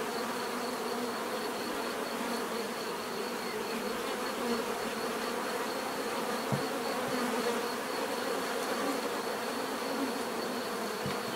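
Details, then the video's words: Bees humming as a constant, thick drone, occasional faint clicks and short knocks beneath the steady buzz of many wings. "bees therapy relaxing natural buzzing sound"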